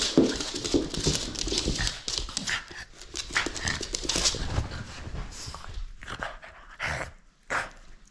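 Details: Indoors, a French Bulldog plays and keeps its toy from being taken, huffing and panting steadily with a faint whine early on and a few sharp snorts near the end.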